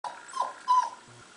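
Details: Black-and-tan Miniature Pinscher giving birth indoors: a short, thin whine around one second long, two brief tonal cries, the second louder and held flat, then quiet background.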